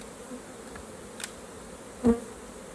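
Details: Honey bees hum softly at a hive during a raw honey harvest. A low, quiet buzz lasts throughout, with a sharp tap or knock near the end.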